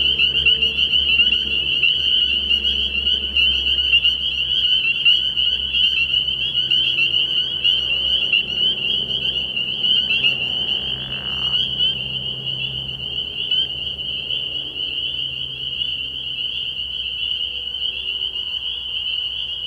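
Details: Spring peepers massed in a frog pond at night in early spring, calling as an unbroken high shrill chorus of rapid peeps, with soft low tones in the background that fade later on.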